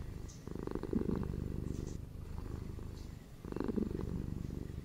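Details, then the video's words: Domestic cat purring softly indoors, two louder rumbling bursts separated by a quieter, fainter stretch of low vibration. "SHORT ASMR 5 MINS PURRING CATS FOR RELAXATION & FOR SLEEP"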